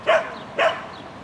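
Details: Lesya, a sheltie running an agility course at a Spring 2016 event on 22 May 2016, gives two short, bright barks about half a second apart against quiet background hum.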